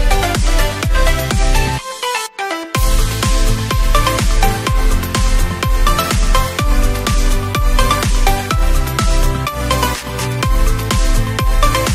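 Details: Loud electronic dance music with a pounding beat and a brief drop near two seconds, no animal voice.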